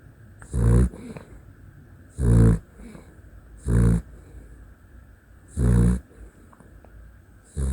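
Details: Dachshund snoring in its sleep, five short, deep, gravelly snorts spaced irregularly one to two seconds apart over a faint steady background hiss.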